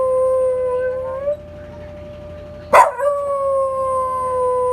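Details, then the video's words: Rungji, a long-legged male Welsh Corgi, answers the Memorial Day siren. A sustained howl rises slightly at its end, there is a short lull, then a fresh howl breaks in sharply and holds to the end over the constant siren note. "현충일 사이렌 소리에 하울링하는 강아지"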